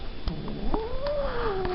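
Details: Rescued cat from November 2013 gives a single drawn-out meow, rising gently and then sliding down over about a second, with soft clicks and a low background hum indoors.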